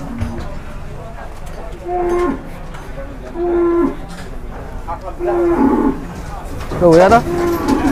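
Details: Restless, agitated cattle in Indonesia that people fear may jump: several medium-length moos repeat about every one and a half seconds, the last one rising and wavering, over a steady background hum.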